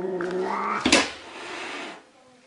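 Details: Angry cats indoors: a strained, nasal yowl breaks into a sharp explosive hiss, then a softer breathy tail trails away.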